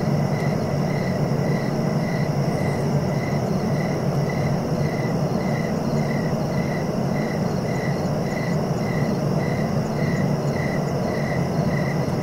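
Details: A cricket chorus of short, high, evenly spaced chirps, nearly two per second, runs on over a continuous whining insect drone and a low background rumble.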